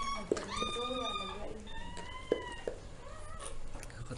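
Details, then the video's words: Newborn puppies whining indoors while their mother Zoe delivers ten pups, six females and four males: long, high, steady whines and a few shorter squeaks, with brief clicks and a voice speaking Tagalog. "Zoe delivering her puppies"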